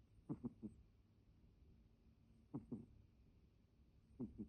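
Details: Sleeping cat snoring in an unusual way, different from its everyday snore: quiet, low, rough snorting breaths in clusters of two or three, repeating about every two seconds, in a hushed indoor room.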